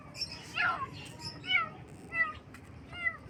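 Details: Baby kittens in the morning meowing: several short, rising-then-falling harmonic mews spaced about a second apart, with high bird chirps in the background.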